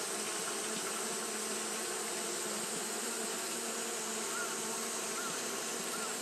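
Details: Japanese honey bees keep up their fanning on a hot day, a thick, level buzzing hum; a few faint short chirps rise over the drone near the end, with a steady high hiss behind.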